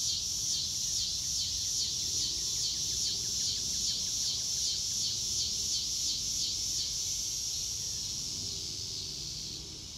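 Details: Crickets outdoors in grass under a clear blue sky, recorded in real time with no music: a dense, high-pitched continuous trill with rapid even pulsing, a scatter of short faint chirps below it, and a low background rumble.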